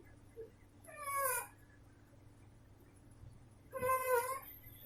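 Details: Female pet cat snoring: two whistling, nasal tones with stacked harmonics, each under a second, about three seconds apart, over a faint steady low hum and a tiny click at the start.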